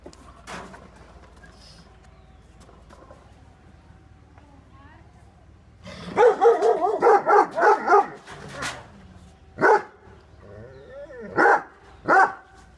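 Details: Angry Great Dane and Rottweiler barking. After a quiet start with faint voices, a rapid burst of about eight harsh barks follows. Then three more spaced, loud barks come near the end.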